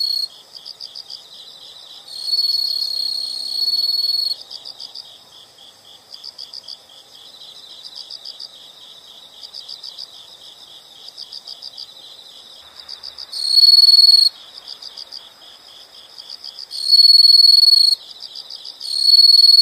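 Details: High-pitched insects pulse steadily, about four chirps per second, while louder sustained trills switch on and off in bursts of one to two seconds, with a faint wash of background noise in the middle.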